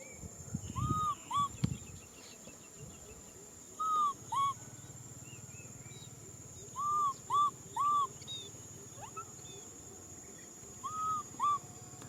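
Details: Infant macaque Nui Simon cries out wanting a hug: repeated paired, arching tonal wails, sliding up then down, in bursts every few seconds, with a brief low thump near the start and constant background hum.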